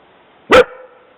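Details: Jessi the dog gives one loud, abrupt bark with a short ringing tail, reacting to someone heard walking on the trail; quiet background otherwise.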